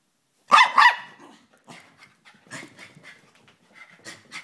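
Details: Hyper Chihuahua letting out two quick high yapping barks, then quieter puffing and snuffling sounds.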